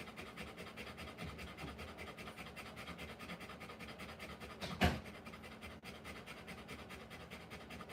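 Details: Rottweiler panting while giving birth to puppies: fast, steady breathy pants run throughout, interrupted near five seconds by one brief louder sharp sound, over a low constant hum.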